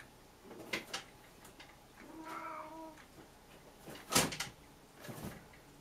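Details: Puchi, a pet cat indoors after going to the toilet, gives one drawn-out, slightly falling meow lasting about a second, surrounded by soft knocks, clicks and a door- or drawer-like thud in a small room.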